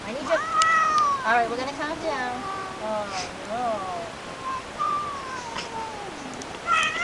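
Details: Female pet cat being given prescription medicine from the vet with butter, making repeated wavering meows and complaining cries, pitch rising and falling, mixed with a person's coaxing voice.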